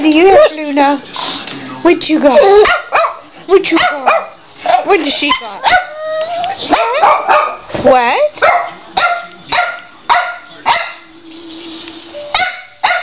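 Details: A Boxer, a Boston terrier and a French bulldog play tag over a ball, giving loud, sharp, yappy barks in quick bursts, roughly every half second at times, mixed with a person's cheerful talking.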